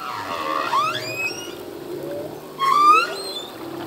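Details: Male humpback whale singing in the ocean: two loud rising, whooping cries rich in overtones, the first at the start and the second after a pause, linked by softer low moans and faint upsweeps.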